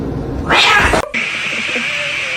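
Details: A cat lets out one loud, strained caterwaul of about half a second, cut off abruptly, then a steady background hum with a faint high tone.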